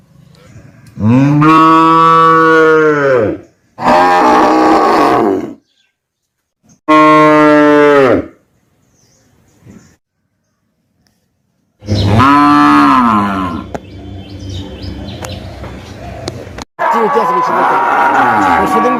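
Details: Cow (Bos taurus), moo.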